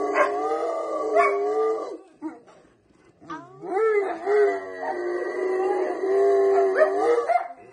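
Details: A Rottweiler lets out drawn-out, wavering howls that slide up and down in pitch, with brief pauses between phrases, as if singing along while people sing Happy Birthday.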